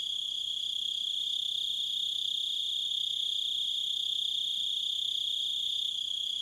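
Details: Crickets chirping outdoors, one bright unbroken high trill with thin higher overtones, even in loudness from start to finish, with no other clear sounds.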